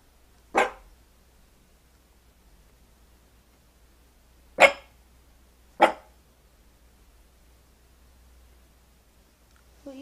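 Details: A Shih Tzu puppy barks at its own reflection in a mirror: three short, sharp barks, one early and two about a second apart later, in a quiet room, with a woman's voice briefly at the end.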